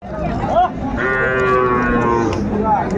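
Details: Sahiwal bull at Ambari cattle market in Dinajpur, Bangladesh, on 13 December 2024, with cattle being sold to farmers; a long drawn-out harmonic moo lasting about two seconds, over crowd murmur and a man's speech.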